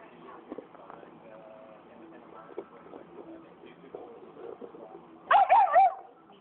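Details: An angry black phase wolfdog protests a Saint Bernard taking its bone: one loud, bending, yodel-like snarling outburst of about a second late on, with low murmuring and rustling noise beforehand.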